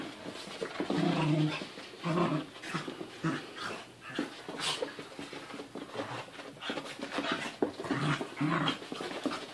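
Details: Two dogs play-wrestling indoors: Mochi, a seven-month-old female puppy, jumping on her 1.5-year-old big brother Churro. Low rumbling growls come in bursts near the start, then scuffling, panting and thumps of rough play.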